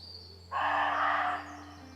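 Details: A single harsh, hoarse roe deer bark lasting close to a second, broad and noisy, from deer calling to each other for about fifteen minutes; a thin high bird note sounds faintly before it.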